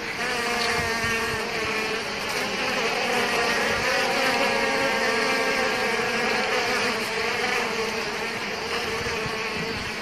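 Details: Bees attacking an Asian hornet that is dying: a steady, dense droning hum with layered harmonic tones, unbroken and even in loudness throughout.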